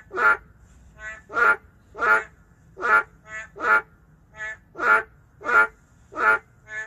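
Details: In a city, endangered boreal digging frogs give nasal, bleating croaks, with strong and weaker calls alternating about once a second.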